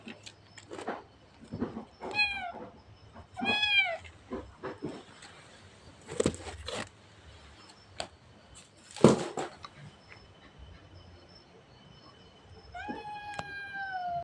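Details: Cat meowing indoors: several drawn-out meows with clear harmonic stacks, some rising then falling, spaced a second or two apart, mixed with short soft thumps and a final long meow near the end.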